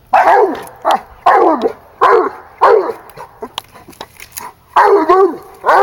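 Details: Treed raccoon held by a 16-month-old female hound, who gives a run of loud, ringing, descending barks in quick bursts, then a short pause before more; another pup belonging to the household is nearby.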